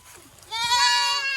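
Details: Boer goat kept on a village goat farm in Nepal, where local goats are crossed with Boer: a single loud, harmonically rich, nasal bleat that swells quickly and holds steady for about a second.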